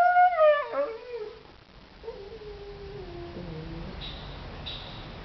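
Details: Siberian Husky Cyrus pleading for his sausage toy indoors: a strong whine sliding downward with harmonics, then a long, quieter descending moan trailing off, with faint high squeaks near the end.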